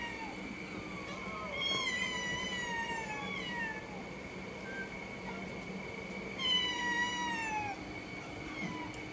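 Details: Cat giving long, wavering meows with rich overtones, two bursts of calls that bend down in pitch, over a constant high-pitched hum in the background.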